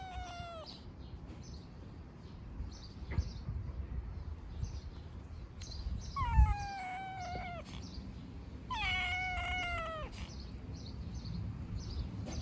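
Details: Young homeless street cats fed outdoors: three drawn-out meows, each sliding slowly downward with bright harmonics and spaced a few seconds apart, over a low rumble of outdoor background noise and scattered knocks.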